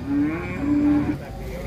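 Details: Large cattle being unloaded from a truck; a steady, flat, harmonic moo held for about a second, with a brief rise at the end, over low rumbling background.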